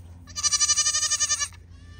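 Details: Young Pygmy goat playing on a Knoxville, Tennessee farm: one loud, high, tremulous bleat lasting just over a second, rapidly pulsing like a vibrato, with faint low rumble behind it.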